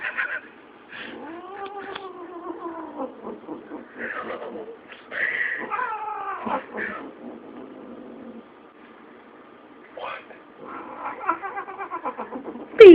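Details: A female domestic cat, hating the other cats, caterwauls at them in long, wavering yowls that rise and fall with hostility.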